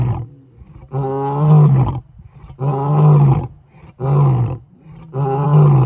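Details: Male lions roaring their challenge at night on the African savannah; loud, deep booming roars of about a second each, four in quick succession with brief pauses between.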